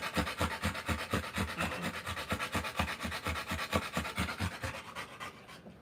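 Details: Rottweiler in labour, giving birth to puppies: fast, steady breathy panting of about two pants per second, regular and unbroken across the clip, with soft rubbing noise beneath.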